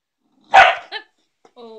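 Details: A pregnant female English Bulldog, on her 55th day of pregnancy, lets out one harsh, noisy woof, then a short low grunt; a person speaks briefly afterward in a higher, tonal voice.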